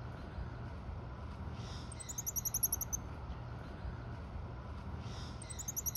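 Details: Goeldi's monkey at Assiniboine Park Zoo, June 2023: two bursts of very high-pitched, rapid chirping notes, each a quick run of about eight short peeps, over a low steady background hum.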